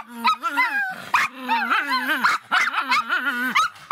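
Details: Angry Miniature Pinscher letting out quick, high-pitched yelping barks with a bending, wavering pitch, about three per second, with short gaps between bursts.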